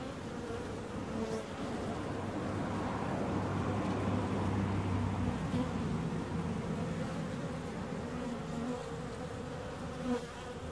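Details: Dense, rough buzzing of bees, a thick continuous drone that grows louder through the middle and then eases off.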